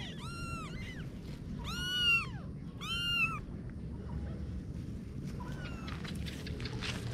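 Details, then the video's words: Kitten giving three clear, high, arched meows about a second apart, each rising then dropping, followed by rustling and a few faint squeaks. "Little Kitten Adventures (New Video) - Kitty Video Meowing"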